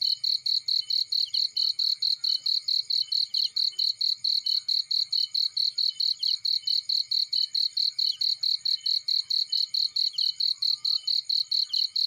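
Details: Cricket in a field next to a burning fireplace, keeping up an unbroken train of high, ringing chirp pulses about four each second; the fire's low crackle is barely audible.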